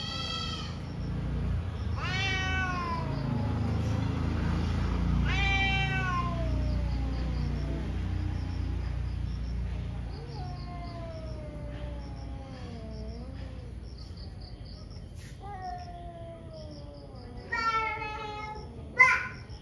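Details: Two cats fighting in the morning: loud sharp yowls dropping steeply in pitch early on, then quieter wavering wails, ending with a sudden harsh burst of high screeching as the fight flares.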